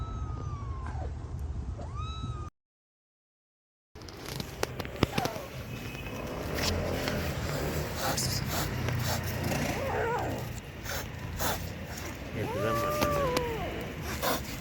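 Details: Abandoned kitten left freezing in -11°C snow for two days, then rescued, gives a drawn-out meow with a rising then falling pitch. A noisy stretch follows with rumbling and clatter, then two more short wavering meows near the end.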